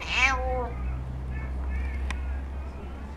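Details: Cat begging at the Aicat cafe in Sendai, Japan, while being called Chako: one clear, downward-sliding meow at the start, followed by soft human voice and quiet room hum.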